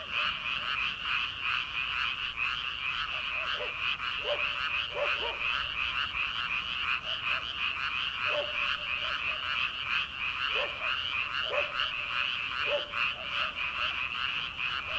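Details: Frogs calling at night from rice paddies in early summer, before rice planting: a dense, continuous chorus of rapid high trilling croaks, with scattered lower, short croaks standing out every second or two.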